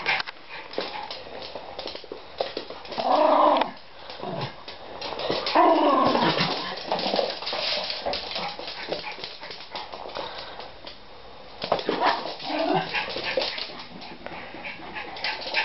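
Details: Two pet Schipperkes romping together while playing with a plastic bottle; drawn-out harmonic growling whines rise in two loud bursts a few seconds apart among scuffling and clattering, with a woman speaking between them.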